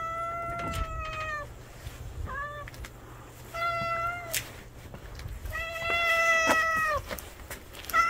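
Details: Cat family, street cats gathered at a meal: several harmonic meows, some long and level, some short and slightly falling, overlapping at times, with soft background rustle.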